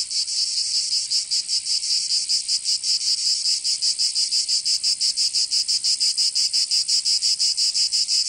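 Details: Cicadas singing in summer in Provence, southern France: a dense, high, buzzing drone pulsing in rapid regular throbs about three times per second, steady throughout with no other sounds.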